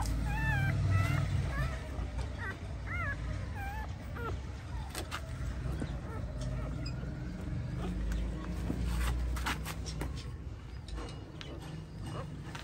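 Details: Home birth of nine puppies by a female pointer dog: a cluster of wavy, high-pitched squeaks in the first few seconds, then quieter, broken whimpers amid handling noises and a constant low rumble.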